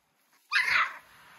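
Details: A single high, drawn-out yelp or whine, lasting about half a second, from three-week-old American Bully puppies of a King Clyde x Dynasty litter recorded in 2022.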